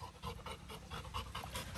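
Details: Little John, a pet Labrador Retriever, offered coconut water by Grandma and not in the mood to drink it; quick rhythmic panting at about four to five breaths per second, steady and breathy, with soft background noise.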